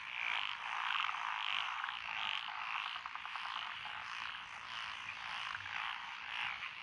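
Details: Rural lotus rice paddies of Echizen, Fukui, Japan, June 12, 2021: a mixed frog chorus of tree frogs, pond frogs and wrinkled frogs, rapid repeated croaks, roughly a hundred per minute, over an unbroken background of trilling.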